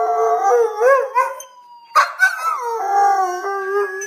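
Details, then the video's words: Howling Schnauzer named Mr. Thurgood answering a siren he dislikes. Undulating, warbling howls, a brief pause near the middle, then a sharp yelp and a long wavering howl that drops in pitch, with a faint siren tone behind. "Mr. Thurgood the Schnauzer Howling to Siren"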